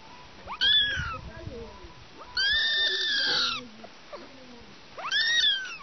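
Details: A mother cat and her kittens: three thin, high meows, rising then falling, with one long drawn-out cry in the middle, amid faint rustling and soft background voices.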